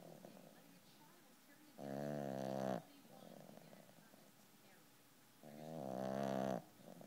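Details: Small 12-pound puppy snoring in its sleep: two drawn-out, nasal snores about four seconds apart, the second swelling louder, with faint breathing noises in between.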